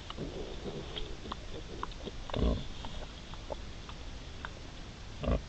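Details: Mother wild boar accompanied by three striped young, recorded 5 September 2020; quiet low grunting early on, then two louder, abrupt broadband grunts near the middle and end over continuous hiss.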